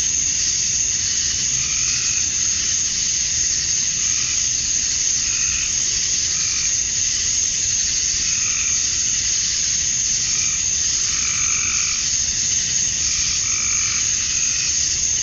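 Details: Summer-dusk cicada chorus from Georgia, USA, males calling for females: a constant high buzzing hiss throughout, overlaid by short lower pulsing notes that recur roughly every one to two seconds.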